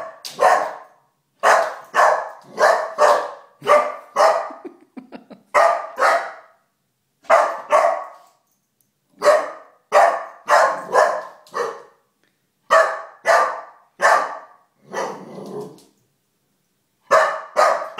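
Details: Four-month-old Golden Retriever puppy defending the house from a stuffed bear in the living room, barking steadily in bursts of two to four harsh barks separated by short pauses, with one growly grumble midway.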